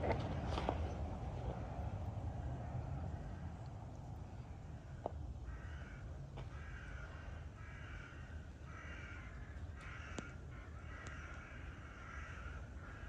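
A serval gives a run of harsh, cawing calls over the steady drone of a vacuum cleaner.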